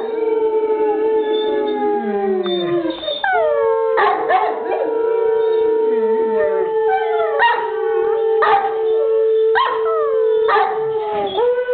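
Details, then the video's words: Howling by Bruiser, an English Mastiff: opening notes slide downward, then a long level howl is held while repeated short rising yips cut in roughly every second or two. "Mastiff Howling"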